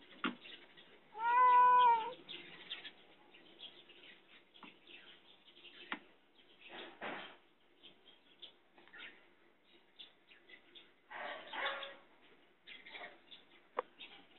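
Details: Caged cat asking for help lets out a single loud, drawn-out meow that rises then falls, followed by long stretches of faint rustling and scattered clicks.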